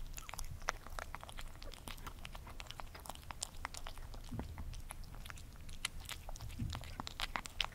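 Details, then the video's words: Crunching by Gordy, a cat eating: sharp dry bites and crackles spaced irregularly, several per second, over a quiet low background, with soft wetter chews near four and a half and six and a half seconds. "Cat Gordy Eating ASMR"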